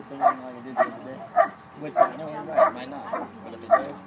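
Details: Bark and hold by a trial dog, 2013 Schutzhund USA Nationals IPO event: seven forceful, resonant barks roughly every 0.6 seconds, persistent and insistent, with low background chatter beneath.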